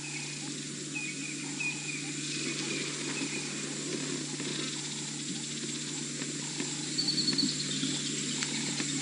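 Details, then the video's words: Squirrel alarm calling just behind a safari vehicle as a lion pride walks past, Djuma Game Reserve, Sabi Sand, South Africa, afternoon of August 10, 2017; faint thin repeated chirps over steady bush ambience and engine hum. "You might be able to hear the alarm call of the squirrel just behind us."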